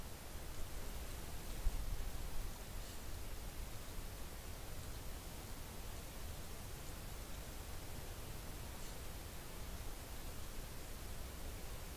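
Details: Only a dense, even hiss of background noise with a faint low rumble is heard at night, with no animal voices.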